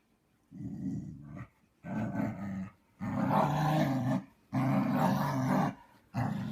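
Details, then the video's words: Husky grumbling in long, low, throaty bursts, each lasting about a second with short pauses between, five rumbling phrases in a row; indoors, no other sounds. "Хаски ворчит и чихает"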